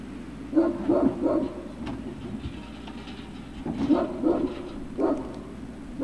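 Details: Great Dane puppies at Puppy Hill, recorded 3 June 2019 in the late afternoon, giving short, squeaky yelps in quick clusters of two or three, with pauses between bursts over a steady low hum.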